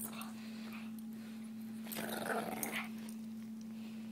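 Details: Basenji and Pekingese play-fighting on a bed: one dog gives a short, rasping burst of playful growling with a few sharper yelping edges, about a second long, over a constant low electrical hum.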